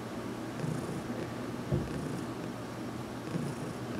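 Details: Domestic cat Heidi purring while receiving a head massage in a closet, some weeks after arriving in her home; a steady low rumbling purr with faint soft thumps, in a quiet indoor room.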